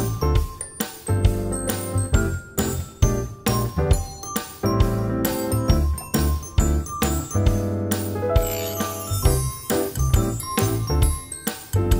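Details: Upbeat instrumental music with bright chimes and a steady bass beat plays throughout, with no animal sounds.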